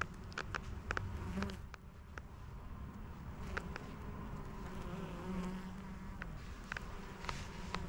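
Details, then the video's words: Foraging honey bees working white lavender for nectar and pollen: a continuous low droning hum with gliding pitch as bees fly past, overlaid by scattered clicks and squeaks of leather gloves. "Bees at Work: Collecting nectar and pollen from lavender"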